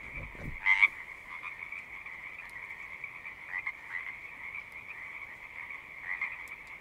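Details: A frog chorus keeps up a steady high-pitched trill throughout. Near the start one close frog gives a loud, sharp call over the mass, after a brief low knock; softer individual calls surface later.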